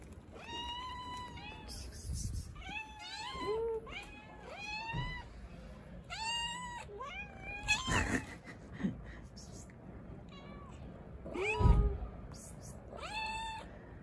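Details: Hungry, confused stray cat living on the street, meowing over and over in quick bursts: short rising-and-falling cries, some bending upward, with a few low thumps and knocks in between.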